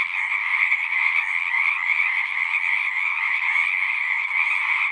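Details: Many frogs singing at once form an unbroken, shimmering drone with a bright upper band above a lower one, the overlapping calls pulsing slightly but never stopping.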